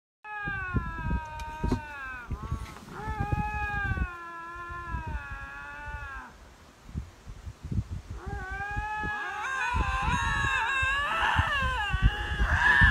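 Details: Two lynxes confronting each other, possibly in a territorial dispute, give long wailing harmonic screams in drawn-out bouts with brief breaks, rising to harsher overlapping cries at the end; rustling and thumps underneath.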